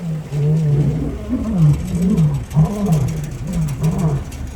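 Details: Male lions of the Nkuhlu coalition roaring while chasing another male near the Sabie River, Kruger National Park; low moaning grunts in quick series, roughly one per second, over steady vehicle engine rumble.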